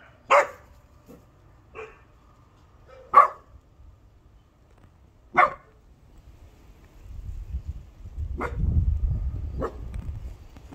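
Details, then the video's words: Bernese Mountain Dog puppy born 17 October 2020, making its first attempts at barking: short, soft isolated woofs and yips spaced a second or two apart, then low rumbling handling noise near the end. "Berner Sennenhund Josef: Meine ersten Bellversuche, wuff wuff"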